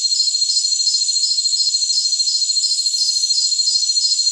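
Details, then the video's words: Jungle crickets in a dense, high-pitched insect chorus: steady shrill buzzing bands overlaid by evenly pulsed chirps, roughly three per second, with no low sounds at all. "Jungle Crickets"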